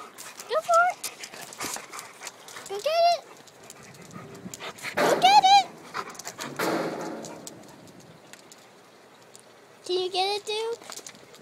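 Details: Labrador retriever kept as a pet, busy eating his dog house, gives several short high whines that arch up and fall, with gaps between; a person talks to him in between the whines.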